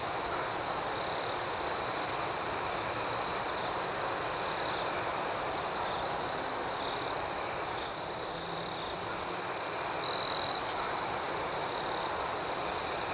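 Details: Nighttime crickets forming a rhythmic, continuous high-pitched chirping drone, with faint pulsing overtones and one short, louder trill standing out about two-thirds of the way through.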